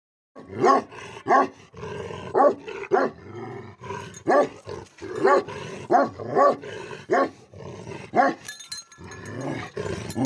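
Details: Bhote Kukur, the Tibetan Mastiff guardian dog of Nepal, gives heavy, booming barks spaced about a second apart, with low growling rumbles filling the gaps between them.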